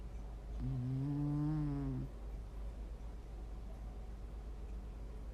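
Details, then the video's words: A domestic cat snoring: a single low, droning breath lasting about one and a half seconds, with steady stacked harmonics and a slight waver, followed by quiet room hum. "고양이 코골이 소리"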